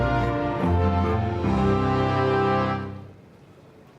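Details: Swelling theme music with rich sustained chords and steady low notes plays for nearly three seconds, then fades quickly into near silence.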